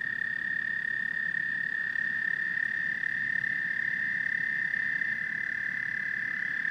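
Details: Amphibian chorus of frogs and toads: a steady, unbroken high trill holds for the whole stretch, with fainter trilling voices layered above and a soft low hum beneath.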